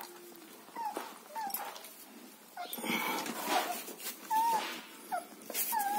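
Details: German Shepherd puppies in Chennai giving high, thin whimpers, short whistled whines that bend and fall, scattered across six seconds with some clattering and rustling indoors.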